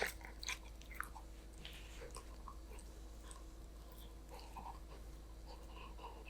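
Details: Golden Retriever puppy named Danbi eating a snack indoors: soft wet chewing and crunching bites in quick irregular succession, with occasional breathy snuffles over a low steady room hum.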